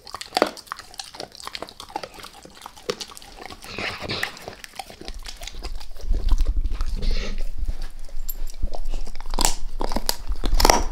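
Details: Max, a dog, going all in on a beef rib, with dense rapid crunching and grinding bites that grow louder and heavier, plus deep thudding jaw sounds throughout.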